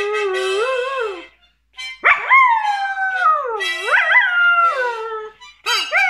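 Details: A 9-month-old Border Collie "sings," howling in long, wavering notes that rise and fall, breaking off and starting again.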